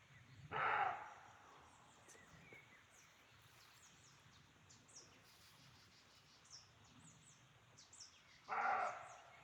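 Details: Roe deer in a forest at Chaumien, France, heard while hiking, thought to be a territorial or mating sound: two short, harsh, hoarse barks about eight seconds apart, with small birds chirping high and thin between them.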